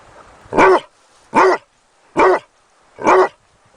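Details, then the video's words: Barking Basset Hound puppy: four punchy barks delivered at a steady rhythm, about one every 0.8 seconds, with near-silence in the gaps. "SOM DO CACHORRO BASSET HOUND 🐶 EFEITO SONORO DE CACHORRO LATINDO 🐶BASSET HOUND PUPPY SOUND"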